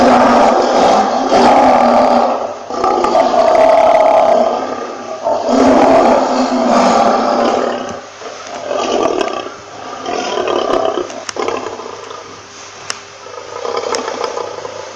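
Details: A lion's drawn-out roars rise and fall in rolling waves roughly every two seconds, loud and raspy at first, then tapering into softer, intermittent grunts toward the end.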